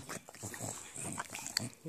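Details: An excited male English bulldog licking his paws makes rapid, wet snorting grunts and snuffles in short uneven bursts, a sound he always makes when enthusiastic.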